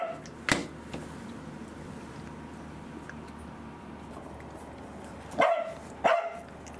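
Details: Pembroke Welsh Corgi named Angela, a pet dog undergoing anticancer treatment and off her food from drug side effects, gives one sharp bark near the start and two more close together near the end, with a quiet room between them.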